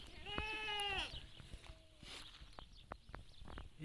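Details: Goat in labour, the kid's legs starting to emerge; one steady, level, harmonic bleat lasting about a second, followed by faint rustles and clicks.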